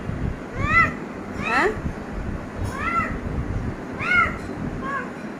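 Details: Cat outside a closed room door, trying to get in, giving repeated arched meows about once a second, some rising then falling, with low rumbling background noise.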